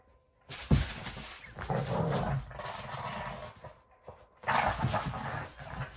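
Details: Boston Terrier Sully and Keeshond Kumo, two pet dogs, tug and battle over a flimsy broken toy; low rumbling growls come in two bursts, one long and one shorter, separated by near silence.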